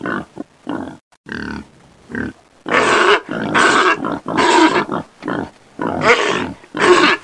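A pig gives a run of harsh, throaty grunts, growing louder and more squealing toward the end.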